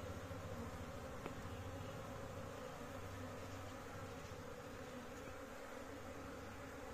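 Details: Honey bees of a big colony kept at home by a beekeeper: steady, dense droning hum with strong low tones, even throughout, and one brief sharp click near the start.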